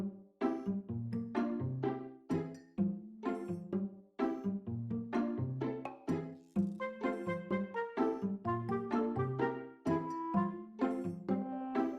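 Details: Bright, bouncy children's-style music of plucked and bell-like notes repeating in a lively rhythm, with no animal sounds.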